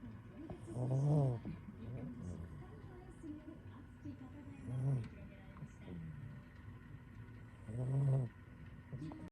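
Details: Domestic cat fast asleep inside a kotatsu after the weather turned cold, snoring: low, rumbling breaths about every three to four seconds, with softer faint sounds between them.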